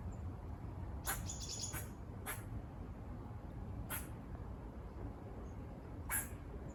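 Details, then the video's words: Squirrels on a walk near a farm give short, harsh buzzy barks, about five scattered bursts over seven seconds, with a steady low rumble underneath. "Squirrel barking calls// Squirrel noises// Squirrel buzzing sounds"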